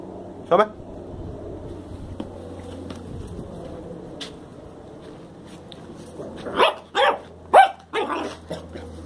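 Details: Black and tan Jack Russell Terrier puppy giving a quick burst of short, sharp, high barks near the end, after quiet stretches with soft thumps and a person speaking Portuguese in the background.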